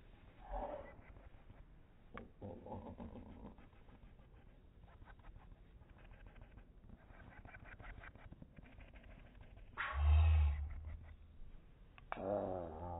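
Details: Cat meowing in slow motion; several slowed, drawn-out, low-pitched meows with broad harmonic bands, one around the start, another near three seconds, and two louder ones near the end, over a quiet rumbling background.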